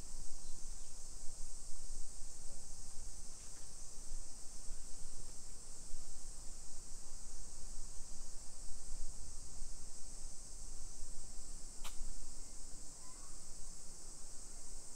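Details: Cicadas calling on a summer afternoon, 1 PM, 28 July 2021, in a modern hillside neighborhood of Nisshin near Nagoya, Japan: a constant shrill droning band persists throughout beneath heavy low-pitched walking and traffic rumble, with a brief click.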